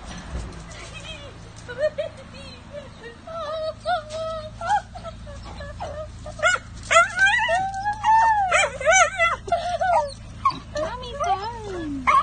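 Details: Excited dachshund greeting his owner on her return from vacation at her parents' place, licking her face; high wavering whines and yelps build from about two seconds, with louder bursts near the middle, mixed with a woman's voice.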